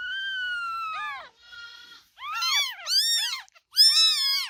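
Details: Kittens meowing: a long, steady, slightly falling cry, a faint drawn-out call, then several louder, shorter arched meows from overlapping voices.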